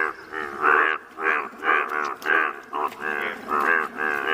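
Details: Yellow-coloured Indian bullfrogs calling in Malkangiri, Odisha, India: a steady series of loud, nasal, harmonic croaks, each about half a second long, repeated roughly twice per second with short gaps between them.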